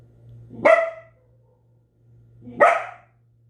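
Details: Belgian Malinois giving two sharp, loud barks about two seconds apart, each preceded by a soft low grumble, over a steady low electrical hum.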